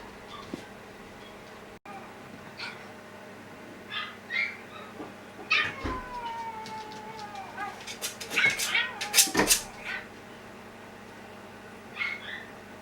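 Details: Older sister dog replying with a howl to her younger sister's cry at home: a long, falling, wavering tone joined by higher yelping whines in a burst mid-clip, then a short whine near the end.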